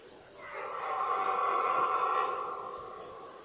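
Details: Red deer stag bellowing during the 2018 rut, a season that included a fight between two fourteen-point stags; a single drawn-out, hoarse roar with a rich harmonic band swells for about three seconds, then fades, with faint bird chirps high above.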